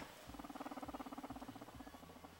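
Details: A young guinea pig purrs loudly with a low, rapid, buzzing vibration that holds steady for about two seconds.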